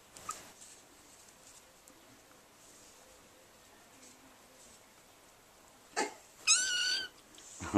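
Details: Squeaky, toy-like meow of a vocal six-week-old kitten at play with her quiet brother: one high, wavering meow with bright harmonics near the end, after a brief noisy rustle and a short early squeak.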